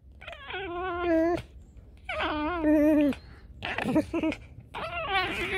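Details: Tame fox grumbling angrily during play: drawn-out whining, wavering cries with strong harmonics in two long phrases, followed by shorter, harsher bursts, with a person speaking to the fox around it.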